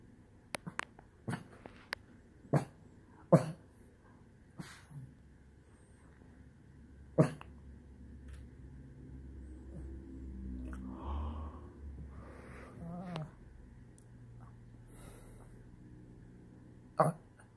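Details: A Shih Tzu, frustrated after his couch space was taken, gives a low, grumbling whine among sharp knocks and taps.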